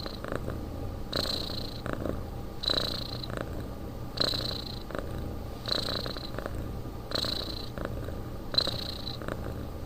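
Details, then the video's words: Domestic cat snoring while asleep indoors: slow, steady breaths about every one and a half seconds, each a soft rasping rush with a thin whistling edge, in a quiet room. "Кот спит"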